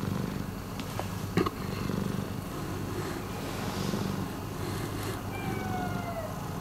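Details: Steady low purring from Miiko, a rescued house cat, with a couple of soft clicks or taps early on and a faint falling whistled tone near the end.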